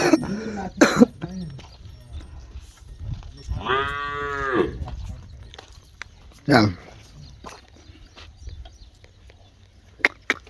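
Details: Cholistani cattle at a sale, among them a heifer five months in calf and a freshly calved cow giving seven kilos of milk; one short, low, drawn-out moo in the middle, with people talking before and after.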